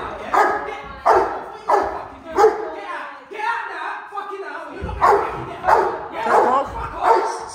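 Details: Rottweiler barking during controlled aggression training while sent toward a challenger decoy: deep, rough barks repeated about every half second in bursts, a short pause midway, with a man shouting commands over it.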